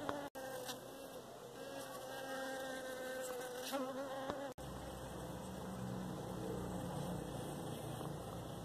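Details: Honey bee, locally called makhori, recorded in Pakistan; a droning buzz with a clear stack of tones that rises and falls as the insect moves. Two brief dropouts break the sound.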